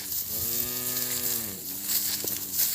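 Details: Calves separated from their mothers, crying out for them: a long, steady harmonic moo lasting over a second, then a short second moo, over rustling background noise and hiss.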